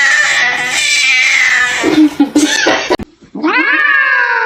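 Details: Domestic cat, filmed indoors as a pet, gives a loud, drawn-out yowling meow with a wavering pitch for about two seconds, then a few broken notes and a short rising-then-falling meow after a brief pause.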